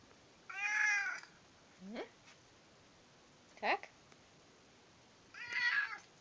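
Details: British Shorthair cat (Felis catus), meow: demanding food, asking for breakfast.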